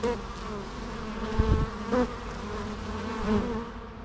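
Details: Bees droning naturally, a low steady buzz with brief louder swells as individuals fly past and a couple of soft low thumps midway.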